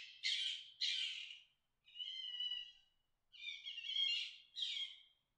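A fox gives harsh, raspy screams in short bursts, a call made during the mating season.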